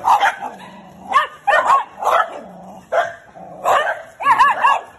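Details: A Shiba Inu, upset after its sensitive tail was touched, bites wildly at its own tail. It makes clustered bursts of high, wavering yelps and whimpers, with lower drawn-out growly tones between the bursts.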